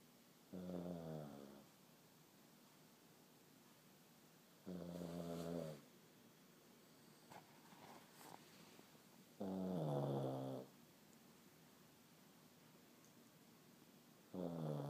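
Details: Pug dog snoring, which the owner attributes to its breed. Loud, rasping, harmonic-rich snores roughly one second long recur about every four to five seconds, with quiet breathing between them in a calm indoor setting.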